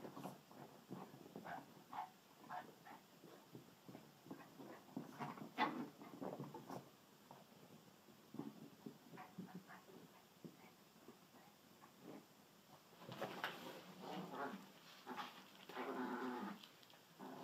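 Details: Pet dachshunds Sausage and Weenie indoors, giving short scattered whimpers and yelps that rise into a louder, drawn-out harmonic whine near the end.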